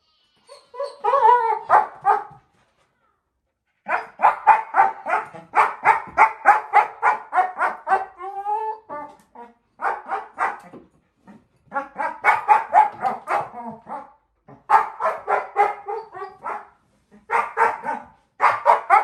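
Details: Female German Shepherd puppy, four months old, playing with her bowl indoors and making funny noises: bursts of rapid, harmonic barks, yips and grumbling whines in clusters separated by short pauses.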